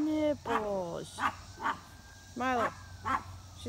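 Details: A pet dog yelling at a squirrel gives high, whiny yelps that slide downward, mixed with short sharp barks, in bursts over a few seconds.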